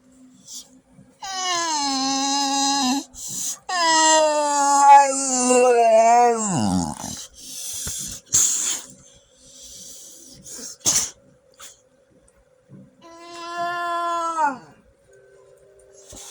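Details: Pet dog making weird noises: long, drawn-out harmonic whining moans in three bouts, each sustained then sliding downward at the end, with a few short sharp clicks and brief pauses between them.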